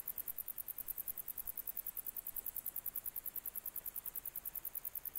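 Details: Grey bush-cricket (Platycleis albopunctata) recorded in July 2021 sings a very high, dry ticking song, repeated steadily about seven times a second.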